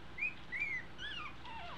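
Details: Two-week-old American Eskimo Dog puppies learning to walk give thin, high whimpers: a few short squeals that rise and then slide downward, spaced unevenly over a steady low background hum.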